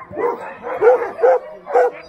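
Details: Alaskan Huskies, sled dogs at Snowhook Adventures in Willow, Alaska, barking: three or four short, tonal barks spaced about half a second apart, each with a bright upward-arched core, in a quiet outdoor setting.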